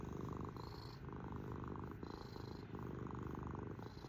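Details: Domestic cat purring steadily and loudly at close range, a low, rough, pulsing rumble that swells and eases with each breath, about three breath cycles in four seconds, with no other sounds.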